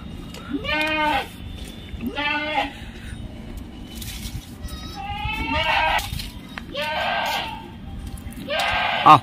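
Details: Pure Punjab Barbari milk goat, a home-raised female cutting her eighth tooth, near Naihati, India; five nasal, quavering bleats, each about half a second, spaced a second or two apart, with a man's voice and background noise.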